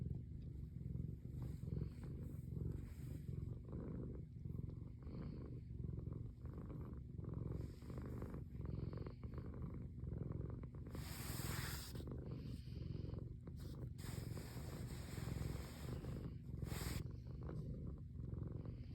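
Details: A cat in winter purring steadily: a deep, low rumble that swells and fades in a regular rhythm of about one cycle per second, with a few bursts of broad rustling noise near the middle and end.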